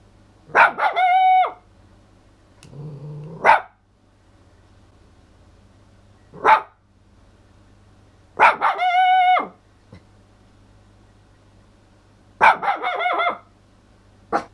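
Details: Missy, a toy poodle, howling surprisingly loudly indoors: short rising-then-falling tonal howls, rich in harmonics, about one second each, separated by yelps and gaps of several seconds, with a steady low hum underneath.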